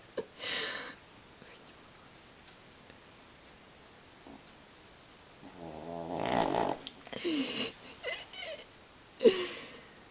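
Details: Pug asleep and twitching: a brief snort early on, soft breathing, then a drawn-out buzzy snore in the middle, trailing into snuffles and a sharp snort near the end.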